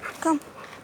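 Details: Boxer dog meeting a stranger, giving one short, clear yelp that falls in pitch, with faint outdoor background noise behind it.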